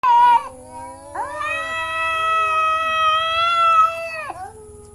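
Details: Domestic cat giving a short high meow, then a long drawn-out, steady wailing meow lasting about three seconds that ends with a falling tail, with a faint constant high electronic whine in the background.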